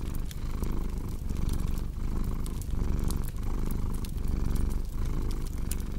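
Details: Close, rumbling cat purr with clear in-and-out breath pulses roughly every 0.75 seconds, accompanied by popping fireplace crackles.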